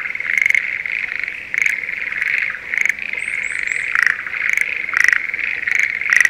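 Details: Schlegel's green tree frogs of a spring rice field near Sendai, Japan, calling in the season of courtship: a steady high chorus with rattling pulse bursts every second or so and three quick high rising chirps around three seconds.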